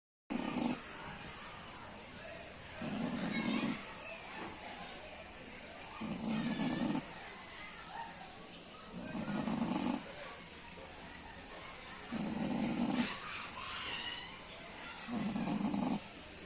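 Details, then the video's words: A snoring pig: low, rough snores in slow, steady bursts about every three seconds, six in total, with a faint hiss and quiet background noise between breaths. "Snoring Pig"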